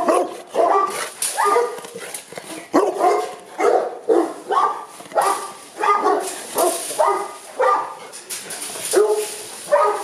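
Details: Boerboels kept at a kennel in Accra bark steadily, about fourteen full, harsh barks in ten seconds at a fairly even pace, each bark short and forceful, with a little background hiss.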